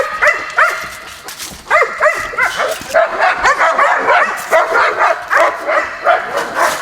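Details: Kennel dogs in outdoor runs beside a building during morning feeding time in October, barking in a busy overlapping chorus of sharp, rising yips and barks, several per second, with some whimpering mixed in.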